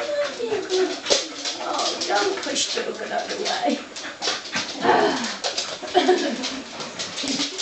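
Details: Wheaten greeting from five Soft Coated Wheaten Terriers in a small room: a burst of short, excited whimpers and squeaky yelps, overlapping and irregular, mixed with human voices and rustling.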